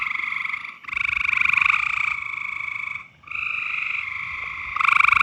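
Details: In mating season, frogs give loud, nearly continuous buzzing trills with overlapping voices, each call a second or more long with a pulsed rattle, broken only by two brief pauses.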